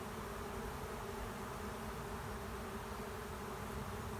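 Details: Honey bee swarm moving into an empty hive at the end of a driveway, the bees getting agitated; a dense, steady droning hum with layered low tones, continuous throughout without breaks.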